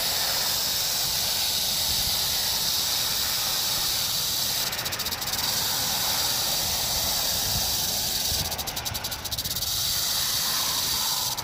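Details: Rattlesnake recorded on 1 July 2018, giving a steady, dry, high-pitched buzzing rattle that runs without pause, with brief stretches of pulsing texture near the top of the sound.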